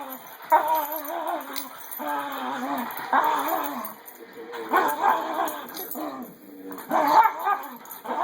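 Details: Pet dog making odd, excited vocal sounds indoors: wavering, whiny yowls and moans in bursts of about a second, rising and falling in pitch, separated by short quiet gaps.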